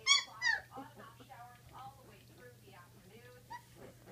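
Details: Great Dane puppies aged 16 days: two loud shrill squeals open, then softer scattered whines and little rising whimpers from several pups, with a constant low electrical hum in the background.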